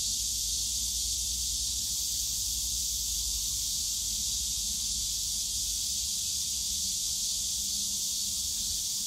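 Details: Cicadas calling on a summer day in the bamboo forest of Yongsan Family Park: a dense, unbroken high hiss-like drone, steady throughout, with a faint low hum of park noise underneath.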